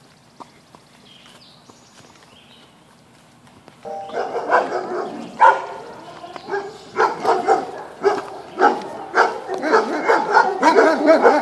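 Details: Several dogs bark outdoors near a horse that stays calm, with a quiet start and then a burst of rapid, overlapping barks coming in uneven volleys.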